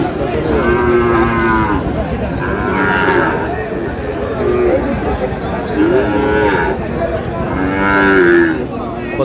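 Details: Sahiwal bull calf at a cattle market in Madaripur, Bangladesh, on 3 April; repeated harmonic moos come roughly every two seconds, some rising then falling, over constant background crowd murmur at the busy market.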